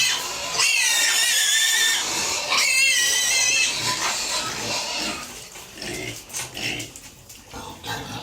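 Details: Pigs and piglets kept on a family farm, squealing at feeding time: long, sharply pitched harmonic squeals in the first three seconds, then quieter, scattered grunts and short squeals as the noise fades.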